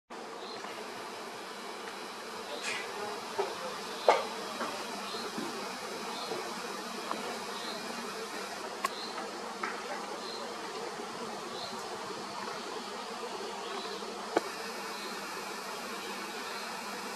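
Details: Honeybees busy at Tierpark Herberstein in Austria, a steady dense hum of many wings throughout, with occasional faint clicks and knocks over the continuous drone.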